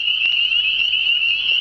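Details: Frogs singing in spring, a huge unseen chorus of many callers: a dense, continuous high trilling band that holds steady without a break through the short stretch.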